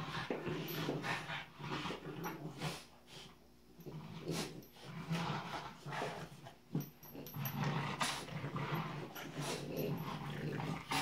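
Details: Playing together indoors, two French Bulldog puppies keep up rough growling, panting and small yaps in uneven bursts, with scuffles and thumps of play in a small room.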